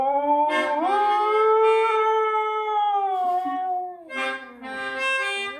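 A Siberian Husky gives a long, tuneful howl that slides up, holds, then breaks into shorter wavering notes.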